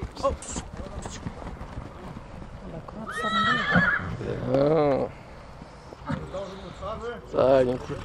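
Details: Stallions at Satu Mare in Bucovina, 2022: several quavering whinnies rise and fall between stretches of human talk, the longest a shaky descending neigh in the middle, another short burst near the end.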